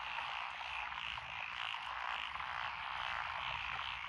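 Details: Rice-paddy frogs among lotus fields by a country lane in Echizen, Fukui, Japan, 12 June 2021, calling together; thick, continuous croaking with gentle rhythmic surges in loudness.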